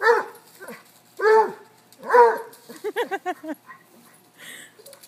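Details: Three dogs, a cocker-hound, a Basset and a corgi, play chase near a river: loud, drawn-out baying barks, then a quick run of short, sharp yelps. Soft background music and people talking.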